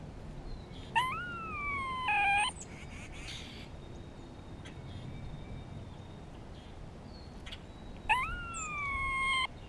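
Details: Grey squirrel calling in spring, communicating with another squirrel while a hawk is around. It gives a rising, drawn-out nasal call that breaks into two parts. Several seconds later a second long call rises and slowly sags in pitch.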